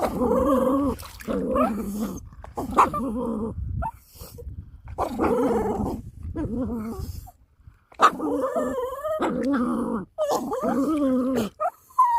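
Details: Pet dog tugging a toy, making funny noises: long stretches of harmonic growl-whining in repeated bursts, some rising and wavering, broken by short gaps and tugging noises, in what sounds like a small room.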